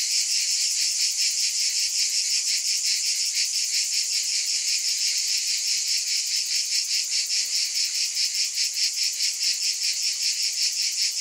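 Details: Cicadas keep up a constant piercing buzz with a regular throbbing pulse, the throbbing slightly stronger toward the end, with no other sounds.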